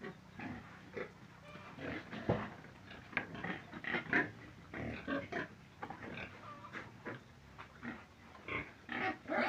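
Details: Pig grunting and squealing in quick irregular bursts throughout, with a constant low background hum.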